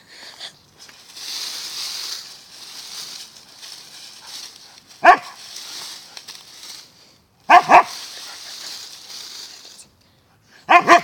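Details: Siberian Husky digging in the dirt, with long hissing scrapes of paws in soil between sharp, loud barks: one bark at mid-clip, a quick double bark a few seconds later, and more barks at the end.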